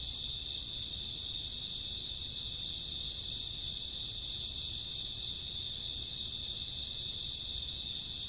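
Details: Midnight chorus of crickets and grass insects on a summer or autumn night: continuous shrill layered chirping in several high bands, unbroken throughout, over soft low background noise.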